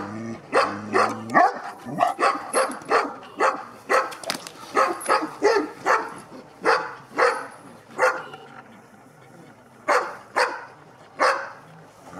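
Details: Sarplaninac named Avatár, a 2.5-year-old dog during a courage test, barking in a rapid run of about twenty deep, sharp barks over twelve seconds with brief gaps toward the end.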